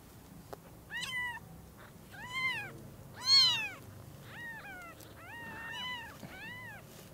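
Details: Newborn kittens at Lucky Paws whose eyes have just opened greet the mother cat for the first time with a rapid run of thin, high, arching mews. Some calls overlap, and one sharp, loud cry stands out in the middle.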